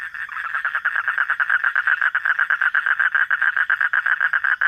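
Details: A frog at night calling in a quick, pulsing series of nasal croaks, close to three per second, loud and continuous.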